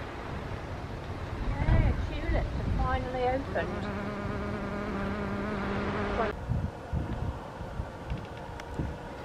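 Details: Female hairy-footed flower bee emerging from a nest sealed by her mother in May 2019, with a male nearby, in a garden at Buckfastleigh, Devon, UK, on 29 March 2020. A wavering then steady droning buzz is heard over low rumbling background noise.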